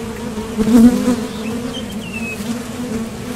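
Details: Western honey bees at the entrance of a top bar hive, leaving and landing as they forage for nectar, give a steady, low droning hum that swells briefly before settling back.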